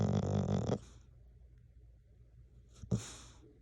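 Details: Tabimaru, a seven-year-old male mixed-breed rescue dog, snores indoors: a loud, rasping low breath for under a second, a quiet pause, then a short sharp snort-like inhale near the end.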